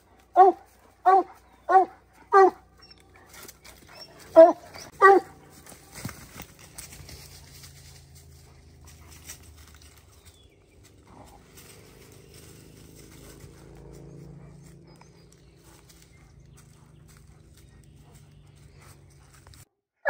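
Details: Young hound on the first day of black bear training season in July 2024. Six loud, clipped barks in the opening five seconds, roughly one per second, then quiet low rumbling and faint rustling until the end.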